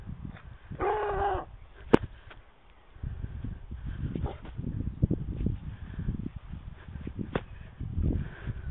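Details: Morgan the Otterhound, with Oscar also present, recorded on a mobile phone; one loud harmonic bark-howl lasting about half a second near the start, then a sharp click and rumbling handling noise with low muffled sounds.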